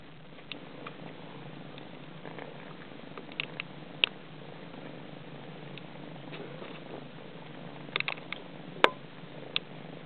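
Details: Eight-week-old sorrel Somali kittens nursing from their mother; a low continuous rumbling purr runs throughout, broken by scattered sharp clicks and small sucking noises.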